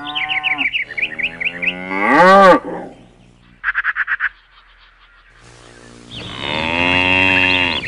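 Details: Cow at a shed, lowing twice: a long, deep, harmonic moo that rises and strains near its end, then after a pause another drawn-out steady moo. Rapid chirping bird trills run between and over the calls.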